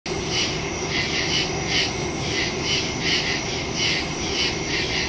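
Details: Crickets in woods at night, recorded September 2, 2023 on a Samsung Galaxy S22 Ultra phone with a Shure MV88+ stereo microphone: a steady high insect chorus pulsing about twice per second over a constant shrill hiss.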